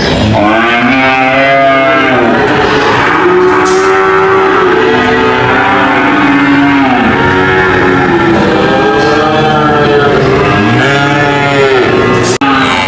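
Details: A long run of cattle lowing, with many overlapping moos rising and falling in arcs, a steady dense bed of sound throughout and a sudden cut near the end.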